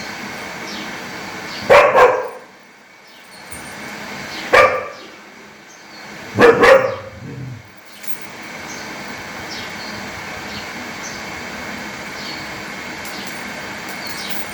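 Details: Angry dog barking loudly, recorded outdoors: three harsh separate barks spaced about two to three seconds apart, then a low growl-like tail, with steady background hiss and faint distant chirps.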